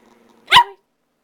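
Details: Pet dog missing its owner lets out one sharp, slightly growly bark after a faint hum, while someone speaks to it.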